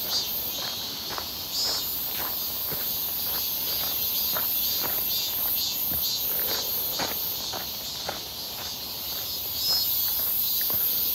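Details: Cicadas singing in midsummer near Seonbawi on 1 August 2023, a clear, hot day, heard during a walk: a steady, dense, high-pitched buzzing drone runs throughout, with regular crunching footsteps and a faint voice over it.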